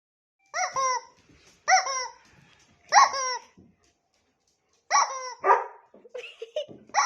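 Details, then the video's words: A playful female dog indoors, agitated and upset over the sound of her toy as her owner plays with it, gives sharp harmonic barks in short bursts, about five groups across seven seconds, with brief quiet gaps between. "gets upset over the sound of her toy: A dog's reaction"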